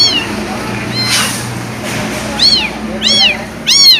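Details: Kitten that was dumped and left behind cries out with sharp, high arched mews, three clear calls in the second half coming roughly every half second, after a quieter opening with faint background rumble.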